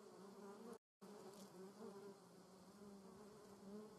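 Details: German yellowjacket wasps (Vespula germanica) in flight, filmed in slow motion; continuous low humming buzz with stacked tonal bands, interrupted by a brief dropout near the first second, then resuming steadily.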